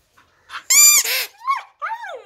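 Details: Siberian husky 'singing': one loud, bright harmonic howl, followed by two brief, falling whining notes.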